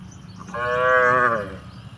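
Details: A cow in a village gives a single drawn-out, nasal moo lasting about a second while cows jostle over drinking water.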